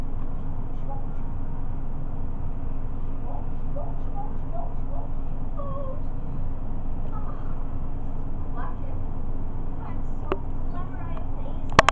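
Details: Cat purring close up, a steady low rumbling drone that runs unbroken through the whole recording, with faint soft clicks and small rustles over it and a couple of sharper taps near the end.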